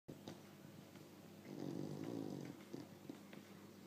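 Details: Sleeping bulldog snoring indoors: a soft, low, rumbling breath that swells in the middle and fades, with a rough buzzy texture and faint background hiss.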